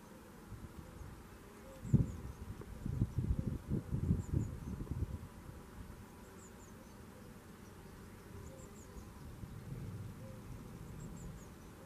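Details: Red mason bees, probably over 300 nesting in boxes at a home garden in Garboldisham, South Norfolk; loud, low buzzing bursts crowd the first few seconds, then fade to a soft hum, with faint high chirps of birds repeating above.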